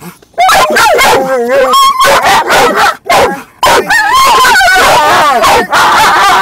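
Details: A dog in a car, another dog moving about nearby, gives loud, wavering, yowling whines and bark-like bursts in near-continuous runs, with only brief pauses between them.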